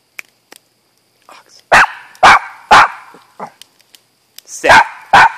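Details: Pet dog barking at home while its owner repeatedly tells it to sit and look at him; five loud, sharp barks in two bursts, with the man's voice and small clicks between them.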